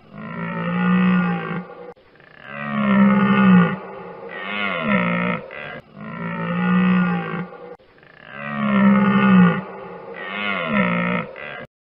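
A deer calls with low, throaty groans rich in overtones, each moan swelling and fading over a second or two. The calls come in a steady sequence with brief pauses between them.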